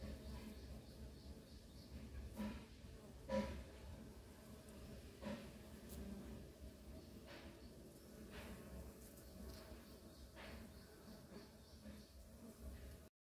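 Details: Dwarf honey bees (Apis florea) in a garden in Bangalore, India give a low, steady hum with faint overtones and occasional sharp clicks.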